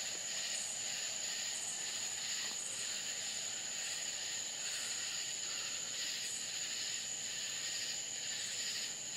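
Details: Country crickets on a Florida night keep up an unbroken shrill whine, with pulsing buzzy bursts repeating about every second and briefly brightening higher up, all steady and dense.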